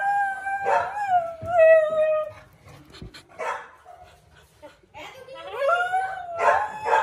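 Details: Siberian Husky howling inside a house in the morning: a long, steady tonal howl dipping slightly at its end, then a short pause with faint voices, followed by rising, wavering howls and yelps.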